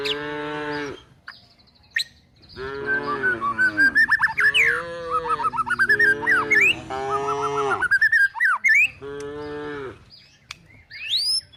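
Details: Cows and calves looking for food as they are driven toward the forest; long, drawn-out lowing moos follow one another almost without pause, while a bird keeps up rising whistled notes overhead.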